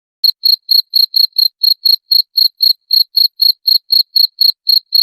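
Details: Cricket chirping, played to drive away rats: short pulsed chirps with a high ringing tone, repeated evenly about four times a second, clean with no other sounds.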